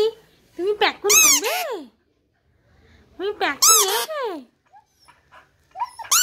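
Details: Siberian husky howling in two rounds of rising-and-falling wavering yowls, each about a second and a half, with a human voice joining in between the howls and another howl starting at the end.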